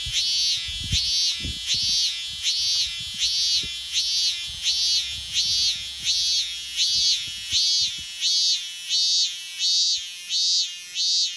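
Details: A lone cicada on a tree in Japan in summer sings in loud, shrill buzzing pulses, each swelling and fading about once a second.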